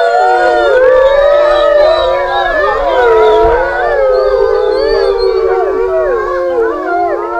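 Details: Several grey wolves of a pack at the Wolf Science Center howl together in long, sliding, overlapping tones that rise and fall, in a study setting where a pack member is taken out for a walk.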